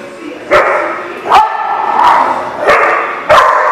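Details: Dog barking, sharp harmonic barks about every second over a constant chorus of other barking and yipping in the background.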